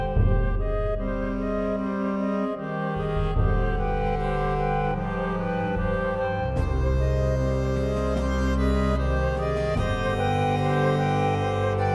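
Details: Bowed string music, cello-like, plays throughout with sustained low notes and layered harmonies.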